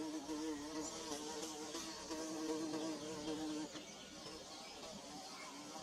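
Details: Bees building their nest, recorded with a DSLR and phone: a steady, droning buzz with a wavering low hum and stacked overtones, loud for the first three and a half seconds, then dropping slightly quieter but continuing to the end.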